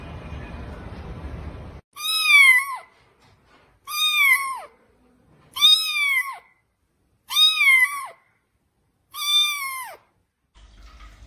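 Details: Cat giving five clear, high meows about two seconds apart, each sliding up then dropping away at the end, after a short stretch of rough background noise; near silence between calls.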